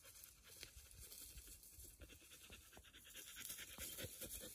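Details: A Border Collie cooling off in hot weather, panting rapidly in steady, breathy bursts about twice a second, with a faint high hiss in the background.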